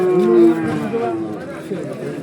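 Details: Bull calves being traded at Kollannur market; a steady, low, droning moo that holds one pitch for about half a second and then breaks off, overlapped by men talking loudly nearby.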